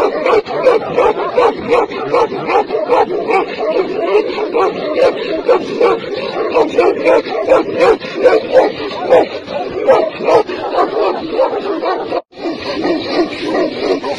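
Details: Tibetan mastiffs, giant dogs in China, barking in a dense, continuous run of overlapping deep barks that keep up steadily with only a brief gap near the end.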